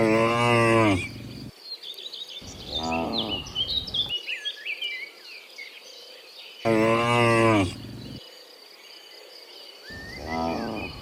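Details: Cows returning from the field to the pen in the morning. Four moos, two long and loud and two shorter and softer, come at uneven intervals over busy chirping from small birds.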